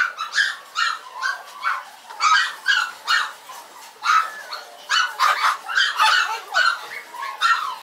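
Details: A Yorkshire Terrier at a Maltese and Yorkshire terrier breeder, recorded November 16, 2012 at 21:51, barks in rapid, shrill yaps, one after another with hardly a pause.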